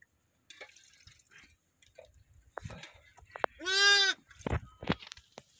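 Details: Day-old newborn lambs in a village: a single loud, harmonic bleat lasting about half a second near the end, preceded by scattered soft clicks, rustles and faint handling noises.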